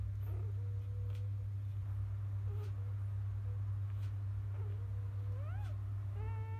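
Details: Field-line Labrador Retriever newborns, the litter of grand champion biscuit, after nursing: short flat squeaks, then a sharply rising and falling cry near the end, with a steady mains-like hum underneath.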